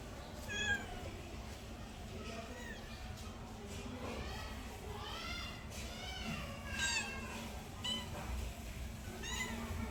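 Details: Pet cat meowing repeatedly across ten seconds, a string of short arched cries of varying pitch, some drawn out, with a constant low background hum.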